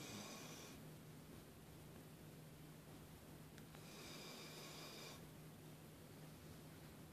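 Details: Wendy, a pet dog, snores while sleeping and twitching indoors: soft, breathy, noisy snore breaths, two long raspy bursts several seconds apart over a steady low hum in a quiet room.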